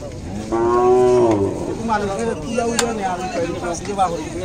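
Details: Cattle at a Bangladeshi cattle market (Gorur Haat) in 2019, where native deshi and small cows were selling. One long, loud, steady moo rises out of the crowd murmur, followed by lower, wavering lowing under continuing chatter.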